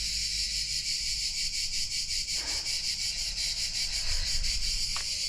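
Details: Cicadas singing in hot summer weather at the sulphur hot springs of Bagni San Filippo, Tuscany, Italy; a dense, continuous high buzzing drone with a fast pulsing rhythm, steady throughout, with faint low rumble beneath.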